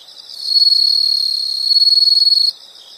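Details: A single sustained insect trill, very high and finely pulsed, swells in and holds for about two seconds before cutting off abruptly, leaving faint ticking behind.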